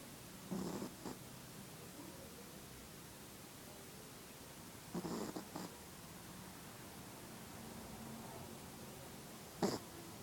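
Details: A female Chihuahua asleep, snoring in short rasping, buzzy breaths roughly every four to five seconds, with a hush of room noise between them and a brief sharp snort near the end.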